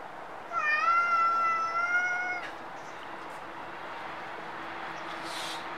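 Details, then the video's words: Stray cat in Japan giving one long drawn-out meow lasting about two seconds, steady in pitch with a slight dip at the end, clear and harmonic, followed by quiet background hum and a faint rustle. "Stray cat (猫）"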